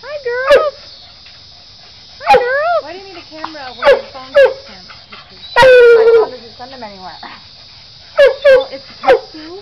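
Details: Pet coonhounds greeting a person with a series of short, high, yelping howls and whines that rise and fall, separated by pauses of one to two seconds, with a person speaking nearby.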